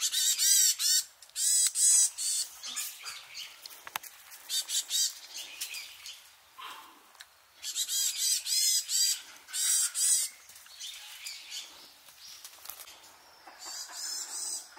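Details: Free-living Japanese macaque troop, mothers and babies among them, at Awaji Island Monkey Center in Sumoto, Japan, shortly before 3 pm. Shrill harmonic squeals arrive in dense volleys with short pauses, several monkeys calling over one another.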